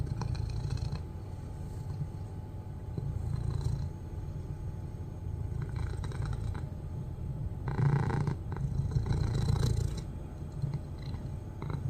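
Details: A domestic cat purring loudly while watching its owner; a steady, low, rumbling purr runs throughout with even pulsing, and brief brighter rustling noises come in around the middle and near the end.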